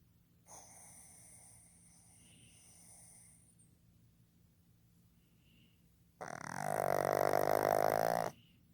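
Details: A male pug named Fukuzou, born 15 July 2020, is asleep and snoring. A soft, airy breath is followed by one loud, rough, vibrating snore lasting about two seconds.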